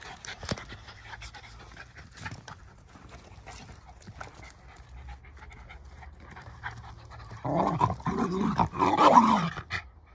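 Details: Two Jack Russell Terriers, close friends, play-wrestling for fun; after a quiet stretch of faint rustling, a burst of rough, throaty growls and snorts rises near the end.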